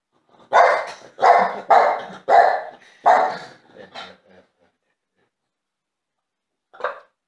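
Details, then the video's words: Wanting attention, a French Bulldog lets out five loud, rasping barks roughly every half-second, trailing into quieter grunts, then adds one more bark after a pause. "French bulldog needs attention"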